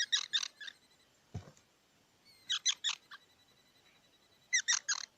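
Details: Squirrel squeaks come in short clusters of two to four harsh, buzzy notes against a low, noisy background, with one dull thump between the groups.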